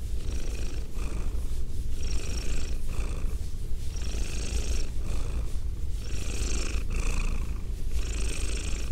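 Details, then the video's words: Female domestic cat with a goatee purring close to binaural microphones; a steady low rumble with breathy hiss bands rising on each breath, about every two seconds, close and continuous. "ASMR Cat Sounds - Soft-Spoken, Purring, Licking, Petting"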